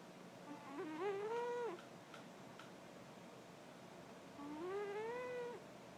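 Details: Tonkinese cat indoors, two tonal harmonic meows with a short rising-then-level contour, one near the start and another about three and a half seconds later, over a faint steady background hiss.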